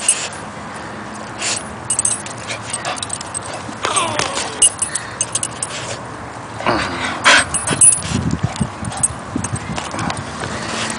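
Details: A Bull Terrier whines and whimpers excitedly, welcoming the family's baby girl, while a woman speaks softly nearby calling her its little sister; Bull Terrier.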